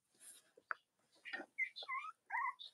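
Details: Cavalier King Charles Spaniel puppies from the litters of Robin and Myra, indoors on a chilly Monday morning near Halloween in the US; short high squeaks give way to clear rising and falling whines near the end.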